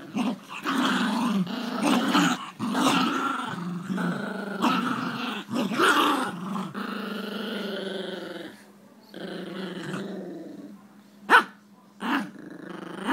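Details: Jack Russell Terriers playing tug-of-war; a long, rumbling play growl rises and falls in continuous waves for about eight seconds, then quieter growling with a couple of sharp knocks or clicks near the end.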